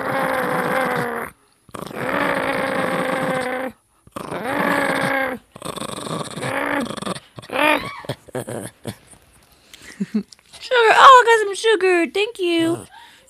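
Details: Dog trading growls with a person in a growl-off: three sustained, steady, droning growl bouts of about two seconds each, separated by short silences, followed by rapid squeaky whines and yelps with sharp pitch sweeps.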